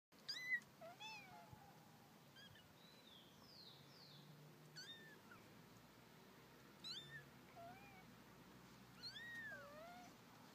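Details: Mother cat playing with her kittens: several thin, high meows arching up and down, some short and chirpy, others longer and wavering, scattered through ten seconds from more than one voice over a quiet indoor background.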